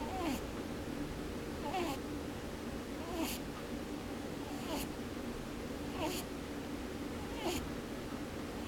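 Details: Pet rabbit asleep indoors with its eyes open, snoring with a soft puffing 'poo-poo, boo-boo' sound; short breathy snorts recur about every one and a half seconds over a steady background hum.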